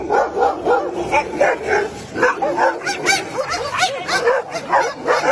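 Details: Angry dog barking: a fast, continuous run of high, sharp yapping barks, several per second and overlapping, with no growl underneath.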